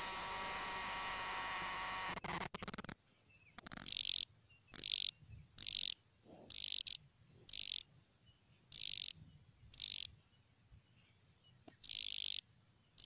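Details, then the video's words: Cricket, known locally as jhingur, a noisy night insect of fields and forests calling to attract females; after a brief steady trill, short high buzzy bursts repeat about once a second against near silence. "Cricket Sound | झींगुर की आवाज"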